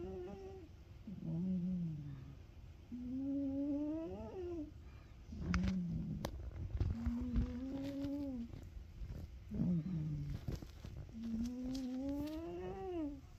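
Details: Ragamuffin cat asleep and snoring in regular cycles, each a low buzzy breath followed by a higher rising, whistly hum. Four such cycles, with a few faint clicks between breaths.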